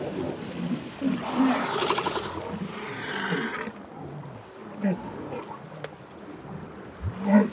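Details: Walruses huddled in a colony at sunset, rubbing against each other and settling for the night; grunts said to form a language within the group. Low rough grunts and a roaring burst, with a man speaking French over them.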